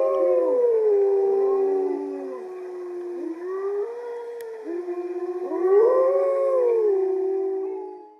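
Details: A male gray wolf howls in protest as his mate is taken for a walk and the other wolves join in: several wolves howl together in long, sliding, overlapping tones that rise and fall, 20 September 2020.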